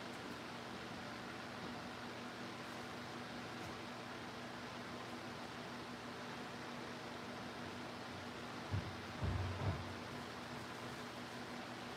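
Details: A steady fan-like hum and broadband hiss fill the room, broken only by a few soft low thumps near the end, with no animal voices.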